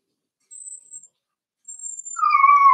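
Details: Four-week-old Cavalier King Charles Spaniel puppies in a home puppy pen: two thin, very high whistled whines, then a louder steady whine at a lower pitch that holds at the end.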